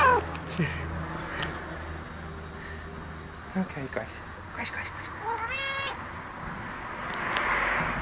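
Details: Chatty twelve-year-old female cat answering a woman's voice with a short upward meow near the end, among clicks and soft talking indoors.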